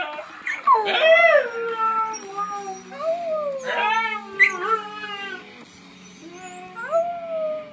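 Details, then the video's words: Lily, a pet dog, howling at random: a few short rising-and-falling whining howls with bright harmonic arcs, separated by quieter gaps, ending in a brief soft whimper-like phrase. "Lily howling randomly"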